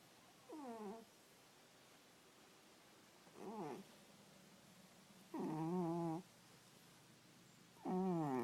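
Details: Sleeping domestic cat snoring indoors: four harmonic, wavering, nasal-toned breaths of about half a second to a second each, spaced two to three seconds apart, with quiet room noise between.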